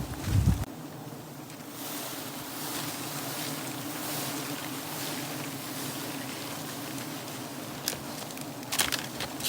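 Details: Steady wind rushing against the microphone, with a low rumble and a few knocks at the start and end; no animal sound can be heard.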